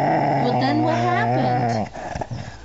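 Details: Pet dog Amber, a female who vocalizes when annoyed, gives a continuous quavering growl-whine that wavers up and down for almost two seconds, then breaks off into quieter grumbles.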